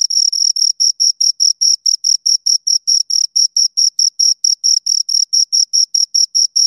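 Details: Two crickets stridulating in a continuous, even train of high, thin chirps, roughly four per second, with nothing else audible.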